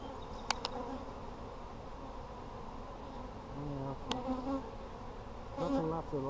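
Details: Honey bee colony hum from an Apimaye hive opened for a brood check, July 23, 2020: a steady low drone with several short buzzes of single bees flying near, and a few sharp clicks from frames being handled.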